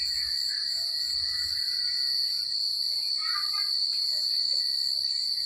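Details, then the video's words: Crickets calling at night in secluded countryside, a constant sharp high-pitched trill throughout, with a few faint lower chirps and warbles mixed in. "The Sound of Crickets at Night"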